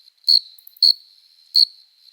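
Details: Male cricket stridulating by rubbing its forewings on a summer night, a courtship song to attract a female: three short, bright, high chirps spaced unevenly over a faint continuous high trill.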